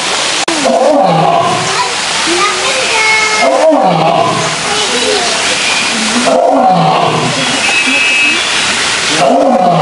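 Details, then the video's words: Male lion in a zoo roaring: several long, low, moaning roars that rise and fall, spaced about three seconds apart, with constant murmur of watching visitors behind. "Lions Roaring Compilation"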